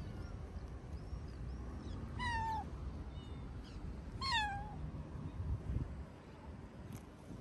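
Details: City stray tabby cat, sociable, living beside a music school, asking for more play time; two clear drawn-out meows a couple of seconds apart, each sliding downward, over low traffic-like hum.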